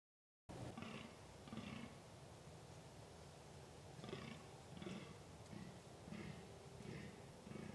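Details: Fallow deer in rutting season, recorded in the wild on 2 November 2013: deep, hoarse, belching groans in short bursts, about one every second with pauses between runs, over a steady background hiss.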